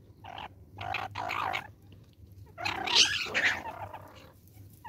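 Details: Banded mongooses in a forest in South Africa give bursts of harsh, chattering calls over a low background hum.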